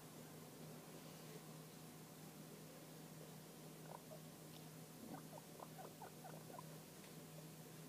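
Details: Young guinea pigs, three or four weeks old, kept indoors as pets; a scatter of short, soft squeaks and chirps clusters in the second half over a steady low hum of room noise.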